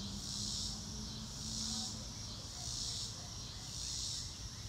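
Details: Crickets heard live in a nature recording with no music: a high buzzing chorus that pulses in broad swells about once a second, a brief low steady tone near the start and a low rumbling background.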